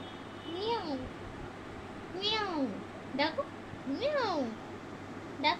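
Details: Newborn kittens of a house cat that just gave birth at home; four or five arching mews, each rising then falling within under a second, spaced about a second apart, while a child and adults talk softly.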